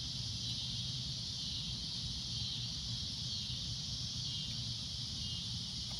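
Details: Shrill cicada drone at sunset, one unbroken high buzz that never pauses, over a low, steady background rumble.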